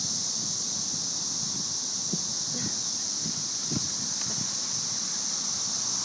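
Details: Cicada invasion of May 2011: thousands of cicadas in the trees produce a continuous high, sizzling drone resembling white noise, while a woman speaks quietly nearby and a dog named Angel plays with one insect.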